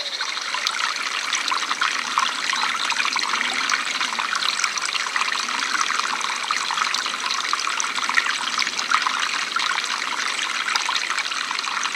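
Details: Steady trickling water fills the whole recording, with no animal calls heard. The rushing, splashing sound stays even throughout, like a small stream or running tap.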